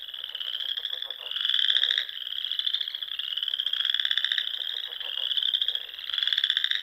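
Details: Frogs singing at dusk in spring among the ponds and rolling dunes of the Sandhills, Nebraska: a dense chorus of high trilled pulses, overlapping callers swelling louder every couple of seconds, with lower rapid clicking bursts beneath.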